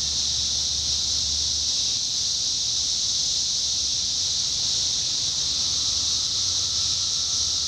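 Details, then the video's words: 17-year cicadas, Indiana, summer of 2021, filling the air with a continuous piercing drone. The hiss-like chorus stays level, a low rumble sits beneath it early on, and a faint thin tone enters near the end. "Sounds of Cicadas Summer 2021: 17-Year Cicada"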